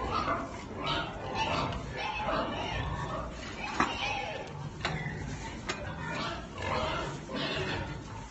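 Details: Belgian Pietrain pigs, some of them loose outside their pen, grunting in a steady run of rough, noisy bursts. A few sharp clicks and knocks and a man's voice speaking French are also heard.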